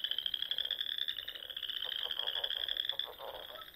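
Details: Many frogs calling together on a spring evening in Nebraska's Sandhills; an unbroken shrill trill dominates while clusters of quick, lower pulsed croaks join in the second half.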